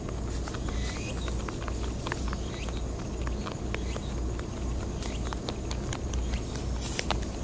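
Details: Wild rabbits on Japan's Okunoshima, Rabbit Island, crunching timothy hay, making snapping chewing noises. Sharp crisp crunches sound roughly once a second, denser toward the end, over steady low outdoor noise.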